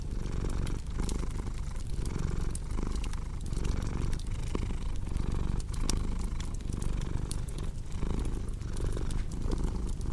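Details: Domestic cat purring steadily, a deep low rumble broken by short pauses roughly every second as it breathes in and out, layered over a cozy crackling fireplace with sharp pops and snaps.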